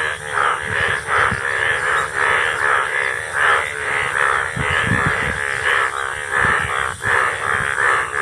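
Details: Indian bullfrogs calling in the rainy season, a loud continuous chorus of harsh, throaty croaks pulsing roughly once a second, overlapping one another.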